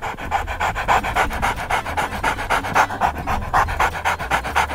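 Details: Stella, a 12-week-old golden retriever puppy, plays in her first snow storm, filmed on an iPad. Quick rhythmic panting, about four breaths a second, steady throughout, with soft music underneath.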